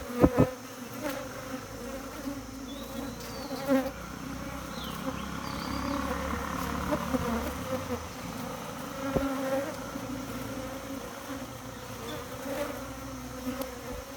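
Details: Continuous humming of honey bees kept by a beekeeper, an even low drone that swells slightly in the middle, with a few faint thuds and distant high bird-like notes.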